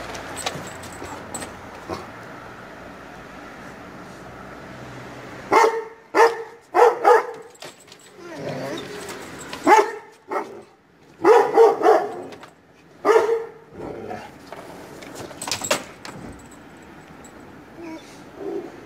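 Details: Kangal pup responding harshly to the sound of neighbouring dogs, turning fierce; irregular volleys of loud barks, some doubled or tripled in quick succession, separated by short quiet gaps, with faint speech and background hum.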